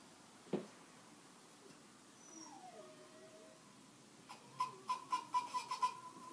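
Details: Domestic dog whining indoors: a faint gliding whine early on, then a burst of six or seven short, high, repeated yelps in quick succession near the end over a quiet background.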